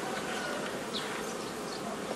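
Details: Thick, unbroken roar of many honey bees at a forager swarm being divided into nucleus colonies, 15 May 2018; steady throughout with no pauses.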